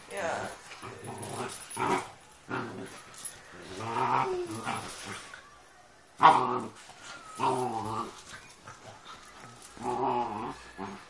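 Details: Two Doberman Pinschers play together; one gives low, rumbling play growls and grumbles while people talk nearby.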